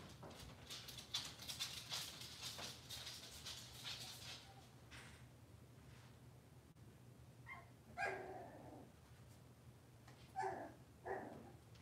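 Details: Kitchen camera at a Cavalier King Charles Spaniel home on a cloudy Monday morning, with puppies and mothers present. Hissing, clattering noise fills the first seconds, then three short barks come at intervals over a faint indoor hum.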